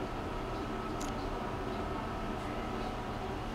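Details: A steady low rumble like a train or vehicle runs throughout, with faint speech. No animal sound is heard.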